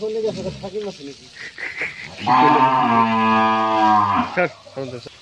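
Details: Friesian cow with her bull calf, second calving, on a farm in Pabna, Bangladesh: a loud, steady, drawn-out moo of about two seconds with rich harmonics. People speak in Bengali before and after it.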